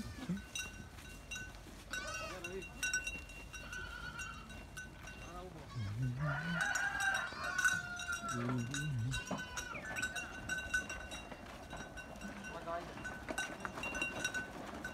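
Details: Goat herd on a farm, repeated wavering bleats from several animals over steady bell clanking, one deep drawn-out bleat mid-clip, with distant voices.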